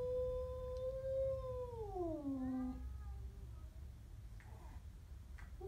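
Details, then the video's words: Siamese cat growling at a stray cat: one long wail that holds steady, then slides downward and fades. A soft background hum continues, with faint rustles near the end. "My siamese cat growls at a stray"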